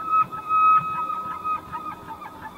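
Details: A bull elk bugles during the rutting season to attract females and challenge rival males: a steady, high, flute-like whistle held for nearly three seconds, with faint low rumbling beneath.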